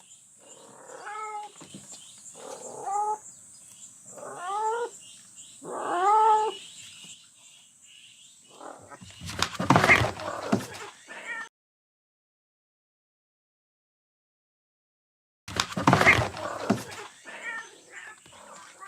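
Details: Farm cat living in a livestock shed and still nursing her kittens; four drawn-out, arching meows spaced about 1.5 seconds apart, then loud rustling bursts, over a steady high-pitched electrical whine.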